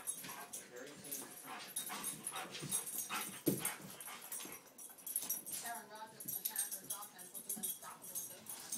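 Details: A Boston Terrier gives short yips, whines and grumbling growls while wrestling in play with a golden retriever, with human voices nearby.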